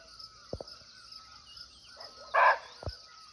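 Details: Wild barking deer (muntjac) calling from nearby in a natural forest in Nepal: one short, harsh, loud bark over a steady high insect drone, with faint clicks and taps around it.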